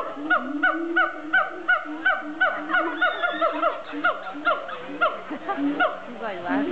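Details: At a zoo, siamangs produce loud rhythmic barking hoots, each note rising then dropping, repeated in quick succession and growing more irregular and crowded toward the end.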